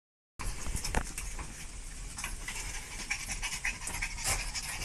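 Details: Panicked dogs breathing in quick, noisy broadband bursts of panting with faint whimper-like traces over a steady hiss of background noise.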